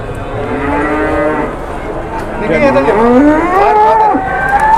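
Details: Jumbo cattle brought around for sale, calling in back-to-back moos; one steady lowing call, then a wavering, rising-and-falling bellow that bends upward at the close.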